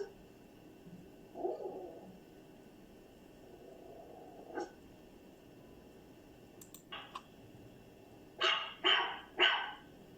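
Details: A dog first giving low, muffled grumbling sounds and faint clicks, then a quick series of three loud, sharp barks at the end.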